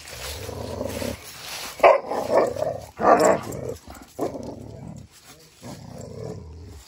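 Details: Odin the German Shepherd and Samson the Boxer, facing off together, give harsh barking and growling bursts roughly every second, loud and rough, with a low rumble underneath and brief quieter gaps between outbursts.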